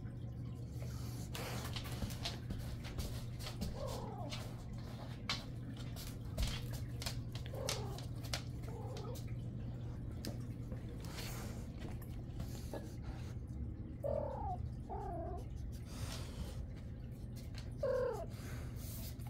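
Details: Calico cat named Patches, talking up a storm through much of the night, indoors: six short, soft, bending meows spaced a few seconds apart over a steady low hum, with a rottweiler named Windsor also present.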